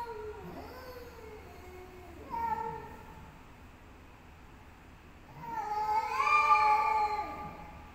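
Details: Cats in a fight trading long, rising and falling yowls, a short sharp cry midway, then an intense swelling wail that peaks and fades, with no other clear sounds.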